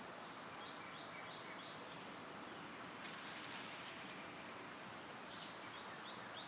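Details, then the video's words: Cicadas in summer, with birds and squirrels about: a steady, unbroken high-pitched insect drone holds throughout, while short descending bird chirps come in small runs near the start and end. "Birds & Squirrels w/ Cicada sounds"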